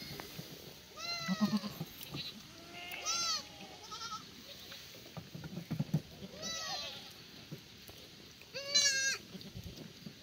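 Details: Free-range black goats at a farm below Muchuksan, Sangdong-myeon, Gimhae, South Korea, on a sunny Tuesday morning in May, during feeding: several wavering, nasal bleats, some high and quavering, spaced a second or two apart over quiet ground noise.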